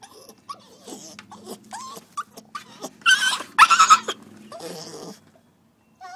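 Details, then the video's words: Puppy named Coco-T crying after being put outside following a toilet accident; short high whimpers and yips scattered throughout, with a louder, strained wailing burst near the middle, then tapering off. "Coco-T's cry"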